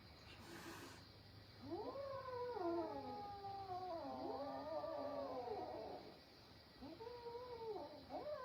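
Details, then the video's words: Kitten in a fight with its grown brothers: a brief noisy burst, then a long loud wavering yowl of about four seconds with shifting pitch, followed by a shorter dipping wail. "My little cat fights with his adult brothers"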